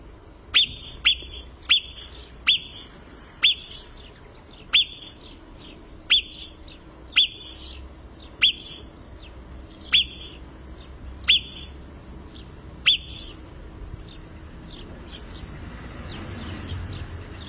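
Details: Marmot in the Italian Alps calling: a dozen sharp, high, piercing whistles, each very short, repeated about once a second, sometimes paired, then stopping, leaving faint outdoor background noise.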